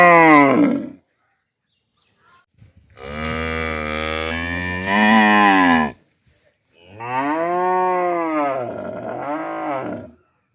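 A cow gives three long, harmonically rich moos, each rising then falling in pitch.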